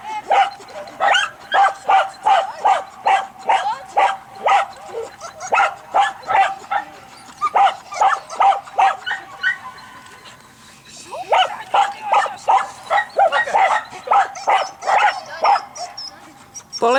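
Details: A two-and-a-half-year-old Croatian Sheepdog being tested for innate traits barks in a steady run of short, sharp barks. There are more than thirty, paced a little faster than two per second, with a brief quieter gap partway through.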